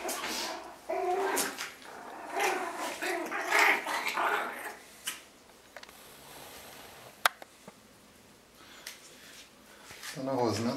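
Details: Month-old Yorkshire Terrier puppies play and fight with each other indoors, giving a busy run of small growls, grunts and yips in the first half, then near quiet, then a rising whine at the end.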